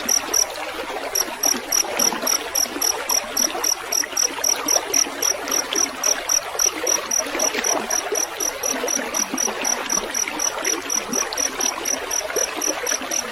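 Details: Field cricket, recorded for coaching caged songbirds, gives rapid, evenly spaced shrill pulses, about four each second after a brief pause near the start. Trickling, splashing water fills the background the whole time.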